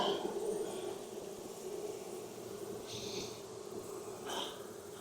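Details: Kept honey bees humming inside their Texas hive while frames are pulled during a hot-weather inspection following heavy rain. An even, low-pitched drone continues unbroken, with brief soft scraping and knocking sounds from the frames.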